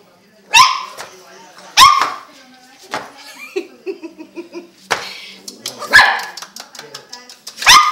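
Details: Two-month-old purebred boxer puppies give scattered, sharp, high barks about a second apart, then a pause filled with people speaking, before more single yelps.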